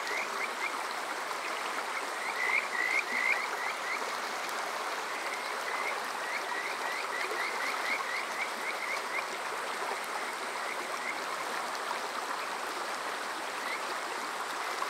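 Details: Summer night chorus of Kajika frogs at Water Park Shirayama, Yokoze, Chichibu district, Saitama, captured on a TASCAM DR-05X; a brief loud burst of upswept whistles, then fainter rapid notes under a constant rushing stream.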